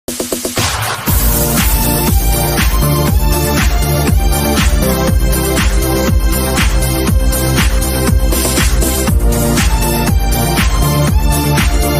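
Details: Loud electronic dance music with a steady thumping beat at about two beats per second, and no animal sound.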